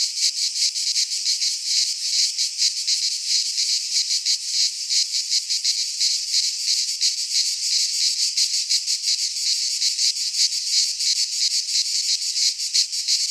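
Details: Cicadas singing in midsummer in a Greek pine forest: a loud, dense, continuous buzzing chorus, high and hissing, pulsing in rapid rhythmic throbs about three times a second with no other sounds.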